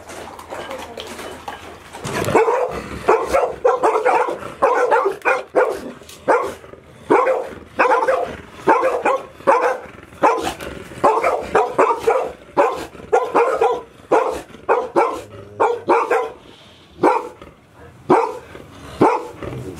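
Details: Golden Retriever puppies, 158 days old, five of them kept indoors all day at Ain Village as Typhoon No. 24 approached, 30 September 2018; sharp, irregular barks come in quick runs and bursts after two quiet seconds, echoing in a room.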